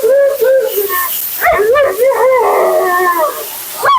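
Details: Mila, a dramatic, vocal female Siberian Husky, talks through her bath and blowout: a string of short wavering yodel-like howls, rising and dipping in pitch, with a steady hiss of running water or dryer behind.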